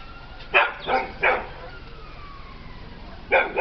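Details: Peppie, a pet dog scared of a little cat, gives three quick loud barks in a row, a pause, then two more.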